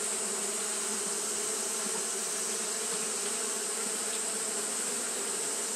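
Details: Fanning Japanese honey bees on a hot day produce a constant low buzz with layered tones and slight wavering, accompanied by an ever-present shrill hiss.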